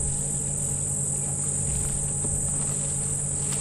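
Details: Cicadas give a steady, high, hissing drone that never breaks, at sunrise on 2 November during an African safari drive, over the low rumble of an idling vehicle near feeding elephants.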